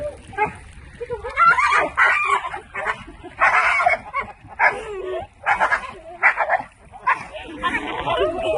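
A pit bull gives a run of short, hoarse, honking calls, irregular and close together, oddly like a duck's quack; a man's voice is heard now and then.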